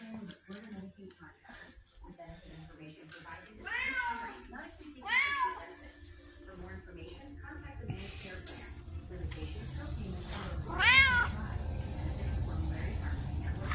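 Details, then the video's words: Red tabby Pumpkin, a chatty female house cat that behaves like a Siamese, lets out a few bent, harmonic meows around four to five seconds and again near eleven seconds, amid a person's voice and rising rustling background noise. "This Is Pumpkin, A Red Tabby With A Siamese Cat Personality"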